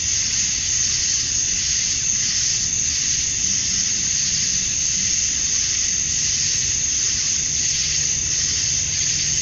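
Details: Male cicadas chorusing at dusk on a summer night in Georgia, USA, calling to attract females: a dense, unbroken high-pitched hiss that gently pulses in waves, with a faint low hum beneath.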